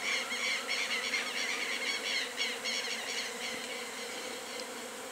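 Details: A natural colony of Western honey bees (Apis mellifera) in full activity gives a dense, steady hum, their overlapping wingbeats forming a continuous buzzing drone.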